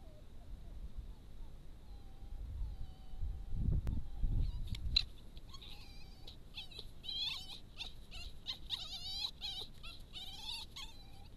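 A red fox vixen gives rapid, high, wavering squeals in submission to a dominant dog fox.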